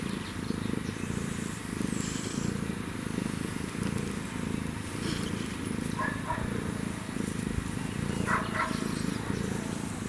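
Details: African wildcat and kitten purr: a deep, rapidly vibrating drone rising and falling in regular breath-paced bursts about every second, with a few faint higher chirps late and a quiet outdoor background.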